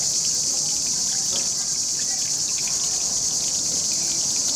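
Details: A cicada chorus sings in riverside trees beside a running fountain, captured with a Panasonic HC-X900. It is a continuous shrill hiss-like drone held at an even level, with gentle splashing water underneath.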